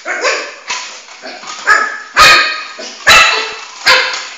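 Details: Flame, a four-month-old Shih Tzu puppy, barks while chasing his ball around the house; loud high yappy barks come roughly every three-quarters of a second, with softer yips between, indoors.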